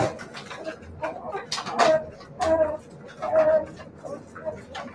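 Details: Siberian Husky puppies giving short tonal whining yelps, three clear drawn-out cries around the middle of the clip over a background of clicks, shuffling and faint voices indoors.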